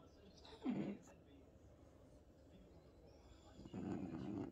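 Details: French Bulldog named Bob, indoors in a home office while the TV plays, 'talking' to his owner: a short throaty grunt, a pause, then a longer rumbling snort-grunt near the end, with quiet background hum.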